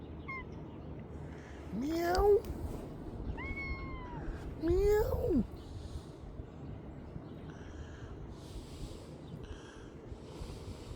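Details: Two friendly feral cats meowing in the morning: two louder rising-then-falling meows, each about half a second long, plus fainter higher meows in between. A person's voice is heard, along with steady low background rumble.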